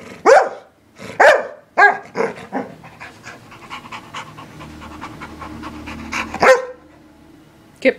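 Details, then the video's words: English Springer Spaniel letting out three quick barks at the start, then a stretch of softer rustling and panting-like noise, one more sharp bark, and a final bark at the very end. "Barking Springer"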